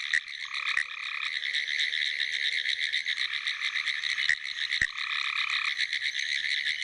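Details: Pine woods treefrogs (Hyla femoralis) call in a dense chorus of rapid, rattling clicks from a flooded field after a rainstorm in South Carolina on 22 April 2011.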